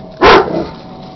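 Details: A single sharp dog bark, lasting about a quarter second, from a dog upset that its beer keg is frozen to the ground, followed by quiet and faint voices.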